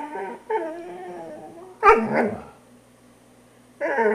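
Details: Grumbling, moaning growls from a poodle during grooming, rising and falling in pitch. One sharp snapping bark cuts through midway, then silence before the growling whine resumes loudly.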